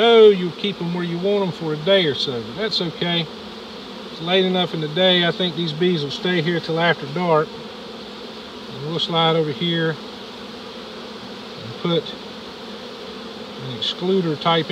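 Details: Large early-season reproductive honey bee swarm of close to 7 lbs being captured in Dale County, Alabama: loud buzzing with repeated wavering, pitch-sliding drones as bees fly close past, over a steady hum.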